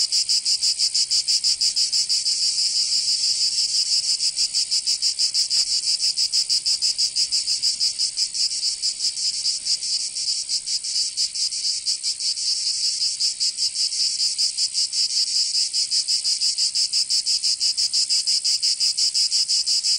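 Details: Cicadas singing in summer in Provence, southern France: a dense, harsh, high buzzing chorus with fine rapid pulsing, steady and unbroken for the whole stretch, with no other sounds.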